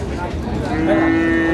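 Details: Cows at a rural cattle market, Ambari haat, Dinajpur, Bangladesh, on Friday 11 April 2025: a long, steady, low moo begins partway through, held evenly to the end over crowd chatter and market noise.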